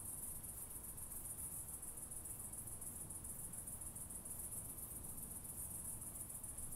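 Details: Southern oak bush-cricket, Meconema meridionale, in Starnberg, Germany, on 7 August 2023, heard through an ultrasound detector: a steady, very high buzzing hiss that runs on without a break, over low background rumble.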